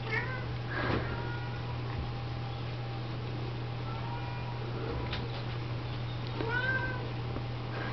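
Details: Indoor scene of Siamese and Snowshoe mother cats washing and feeding mixed Oriental, Siamese and Snowshoe kittens; bright arched mews cluster at the start and near the end, separated by quieter rustling, over a persistent low hum.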